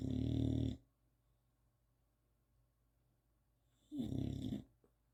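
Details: Old English Bulldog snoring indoors, waking itself up: two loud, low rumbling snore bursts, the first lasting under a second at the start, the second about four seconds later, with quiet room hum in between.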